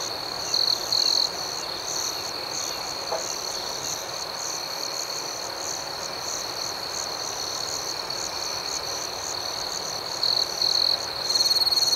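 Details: Crickets chirping at night: a steady high-pitched trill holds throughout, with faster pulsing chirps layered above it and a few brief louder bursts near the start and end. No other clear sounds.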